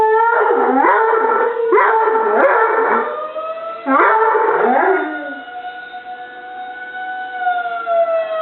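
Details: Molly the dog howls over a tornado siren in three bursts of wavering, quavering cries during the first five seconds. Then the siren's smooth, steady tones carry on alone, and a faint howl returns near the end.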